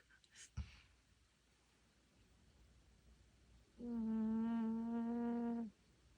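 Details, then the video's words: An old Maltese dog with dementia snores while asleep, giving a single steady humming breath near the end after a soft click and a stretch of near silence. "강아지 코골이"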